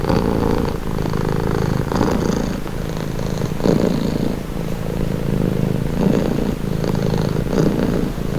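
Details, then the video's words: A cat purring in a soothing, relaxing recording; low vibrating drone pulsing softly with each breath, about every second and a half, steady throughout and free of other noises. "Purring cat | Calming Relaxing Nature Sound"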